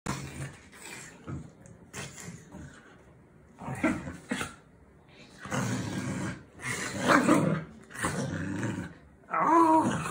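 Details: Lhasa Apso dog in play mode, giving rough, throaty growling bursts of one to two seconds separated by short quiet gaps, the last burst rising into a higher, strained whine.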